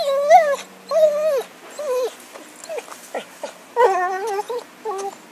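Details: Dog Happy, with a stick in 2012, whines loudly in drawn-out, arching cries, each rising then falling, several in a row with short gaps, ending in a cluster of quick yelping whimpers.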